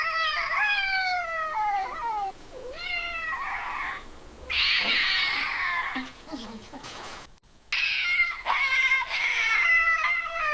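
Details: Feline mating or territorial yowl: a drawn, mournful wail sliding downward, then a harsh hissing burst and low grumbles, followed by renewed wavering yowls with short breaks.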